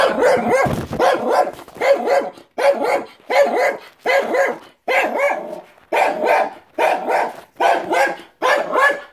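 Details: Pet dog named Benji barks at other dogs outside, giving a steady series of about eleven harsh barks, each roughly three quarters of a second apart, with no other sounds.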